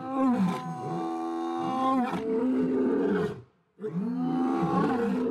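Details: Wild lionesses roaring together in a chorus, answering rival males to give the illusion of a very large pride, roaring until out of breath; drawn-out, groaning harmonic roars in overlapping waves, with a brief silence near the end before another roar begins.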